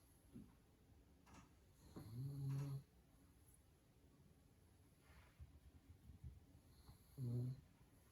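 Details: A pug sleeping after a fun day snores loudly: two deep, droning snores about five seconds apart, each rough and buzzy and lasting under a second, with soft snuffling breaths between.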